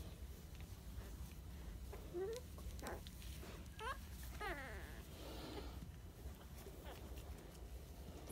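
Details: Dachshund puppies, sandstone coloured, 23 days old, giving several short squeaky whines and yelps, some rising and falling in pitch, with a person talking softly nearby.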